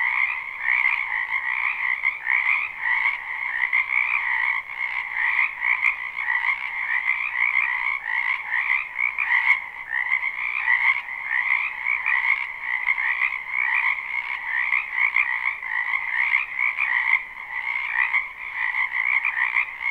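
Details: Numerous frogs croaking through spring in a residential backyard wetland, recorded live. An unbroken, buzzy chorus in two layered bands, the higher brighter, pulsing rapidly and evenly throughout with only a couple of faint clicks.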